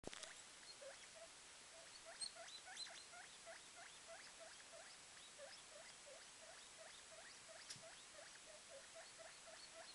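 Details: A day-old guinea pig pup, the smaller of a litter of two, running around its cage and climbing a blanket; faint, short high squeaks repeat rapidly and steadily throughout, evenly spaced with little pause, over soft background hiss.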